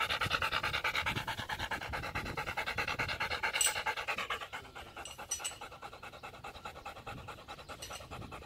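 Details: Rottweiler Macho pants hard while playing fetch, a fast, steady run of raspy breaths roughly three per second that grows softer over the last few seconds.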